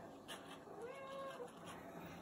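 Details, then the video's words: A cat giving a single faint meow, a smooth tonal cry that rises then falls over about half a second, against a quiet steady background hiss. "FUNNIEST CAT MEOW"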